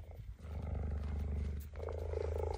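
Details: Female cheetah kept in an enclosure, sneaking up behind a male to defend her home territory; continuous low throbbing rumble with fast regular pulses throughout, rising slightly in the final second, with no other clear sounds.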